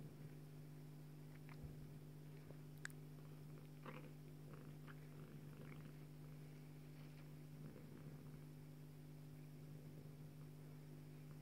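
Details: Purring from Joye, a Bengal mother cat feeding her daughter Leeloo: an even, deep rumble that never breaks, overlaid by brief soft rustles and tiny clicks.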